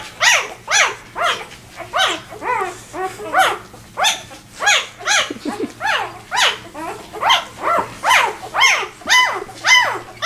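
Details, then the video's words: Vizsla puppy just two days old, left behind by the rest of the litter and crying as it tries to reach its mother; loud arching squeals repeated about twice per second, steady and insistent. "2 day old viszla puppy got left behind and trying to find his way to his Mom"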